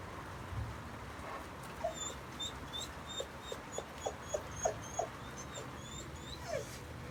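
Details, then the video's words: Dog whimpering in reaction to noises made by neighbours: a series of brief, thin, high whines, about ten short notes spaced irregularly, growing denser toward the middle, quiet against a low steady background hum. "weird whimpering when neighbours are making noises"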